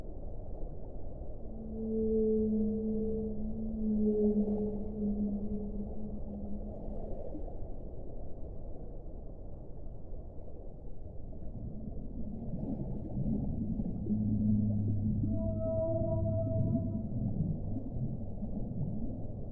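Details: Whale song of long, steady low moans with stacked harmonics, two held tones early, then a lower drawn-out groan overlapped by a higher whine near the end, all above a constant muffled underwater rumble.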